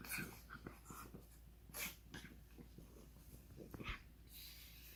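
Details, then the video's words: Ronja the pug makes funny noises, here soft, breathy snorts and wheezy puffs, spaced irregularly and fairly quiet, with a few sharper sniffing bursts. "Ronja the pug making funny noises"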